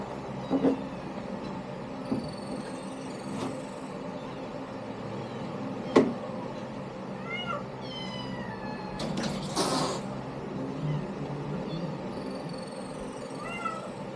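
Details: A litter of kittens giving a few high, rising-and-falling meows around the middle and near the end. A sharp knock and a brief rustling burst stand out against a steady low rumbling hum.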